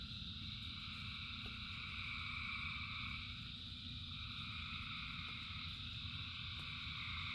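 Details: Dense chorus of frogs calling in rain, a steady overlapping trill-like hum in several high bands, with constant low rain rumble and scattered drip clicks throughout.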